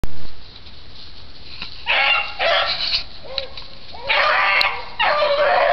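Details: Shylow, an old beagle rabbit-hunting dog, giving his unusual bark while hot on a rabbit trail: two loud, rough, harsh bursts of barking, each lasting about a second, over quiet outdoor background.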